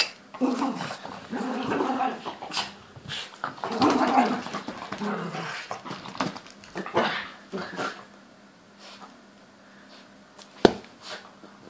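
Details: Toy poodle growling while ragging a teddy; rough, rasping growls in a busy tangle for about eight seconds, with a person speaking, then near quiet and one sharp knock.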